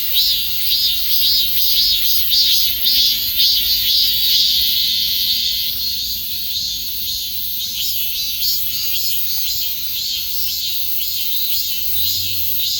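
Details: Shrill cicada buzzing, pulsing rapidly at first, then easing into a flatter, slightly quieter continuous drone after about six seconds; a faint low rumble appears near the end.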